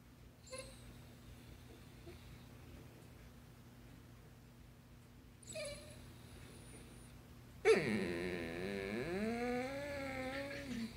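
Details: Vocal basset hound indoors, trying to tell its owner something: two faint short yelps early on, then a loud drawn-out howling moan from about eight seconds, wavering and sliding down in pitch, over a steady low room hum.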